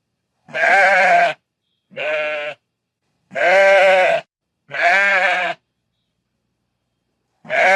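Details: Sheep bleating on a farm: five loud, quavering, nasal bleats, each under a second long, spaced irregularly one to two seconds apart.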